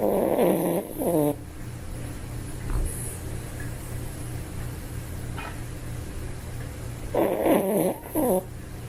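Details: Snoring toy poodle in deep sleep: a raspy, tonal wheeze opening the recording, a long quiet stretch, then another pair of short wavering snorts near the end, with low household hum throughout.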